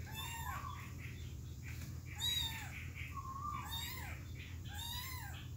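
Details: Plaintive kitten meows from three young cats trying to get back to their mother, four drawn-out arching cries roughly every second and a half, with rich overtones over a constant low hum.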